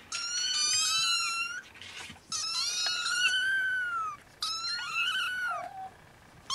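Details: Siamese and Snowshoe kittens nursing, giving three long, high, harmonic-rich mews. Each is drawn out over one to two seconds with a gentle arch in pitch, separated by brief quiet gaps.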